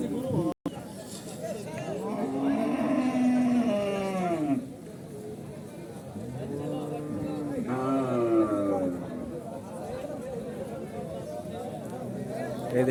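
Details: Lowing cattle at the 2025 Horgoj livestock market, an unruly crowd: a long, deep moo lasting about three seconds, then a shorter second moo a few seconds later, amid chatter and a man describing big and small cows.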